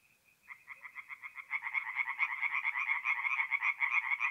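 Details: Night chorus of tree frogs at a forest pond, north-east Italy, mid-April: after a brief faint note, fast rhythmic croaking starts and builds as more frogs join, a dense pulsing rattle.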